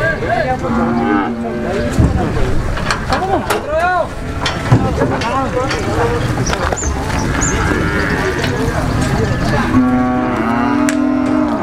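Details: Cattle being loaded onto a truck by jumping up, giving low drawn-out moos among busy human chatter and shouting, with vehicle noise in the background.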